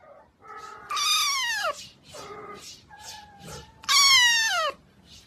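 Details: Domestic cat meowing: two loud, drawn-out meows near one and four seconds that bend steeply downward, with shorter, softer mews and a flat, level mew between them.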